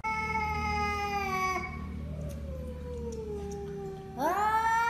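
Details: Domestic cat letting out a long, steady yowl that slowly slides down in pitch, then swoops sharply upward into a loud, rising wail over a low background hum.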